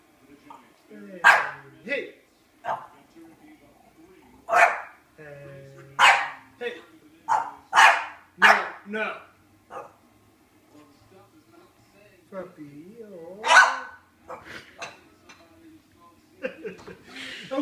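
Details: One-year-old female French Bulldog, feeling replaced, barking her head off at a French bulldog cookie jar; bursts of sharp, high barks at irregular intervals, with a person speaking and laughing between them.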